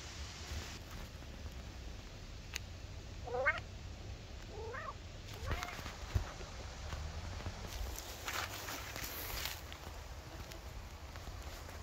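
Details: Maine Coon cat Buster outdoors in a forest on a late-summer day, searching for chanterelle mushrooms; three short, rising chirp-like meows in quick succession near the middle, faint against rustling and a steady outdoor hiss.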